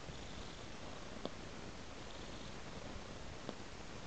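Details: Indoor cat purring while tracking a trail of raw meat. A dense low drone runs without a break, interrupted by two brief sharp clicks.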